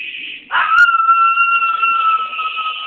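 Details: Poodle mix dog howling along to the national anthem during the Obama inauguration: after a brief onset, one long, steady, even-pitched howl is held for over two seconds, with a higher-pitched sustained sound running throughout.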